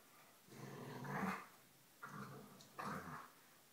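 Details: Play-growling between Polo, a small black dog, and his foster sister as they show off their teeth; three short, throaty growl bursts, the first longest, the others clipped and close together.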